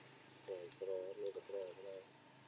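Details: Baby macaque named Dito crying and begging for milk, Siem Reap Province, Cambodia; a run of six short, nasal, wavering cries in quick succession over about one and a half seconds, against a quiet background.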